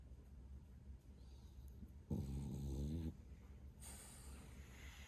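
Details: Male French Bulldog Bro, 11 months old, lets out a single thunderous snore, a rattling low drone near one second long with wavering harmonics, set between soft breaths and faint household hiss.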